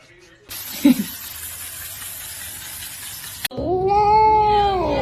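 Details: A domestic cat from a compilation of cat fails gives one long, rising-then-falling meow after a stretch of broad hiss-like noise and a brief thump.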